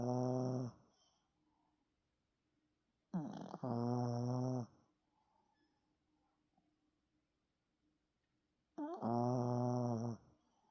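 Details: Yorkshire Terrier named Tani snoring indoors: three loud, rasping snores with strong harmonics, each lasting one to one and a half seconds. They come several seconds apart, with near silence and faint breathing between them.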